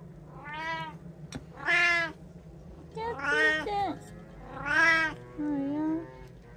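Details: Domestic cats in a home with three cats, meowing around feeding time: four or five clear, drawn-out meows, some rising then falling, about one per second, while a person speaks softly about food and calls them over.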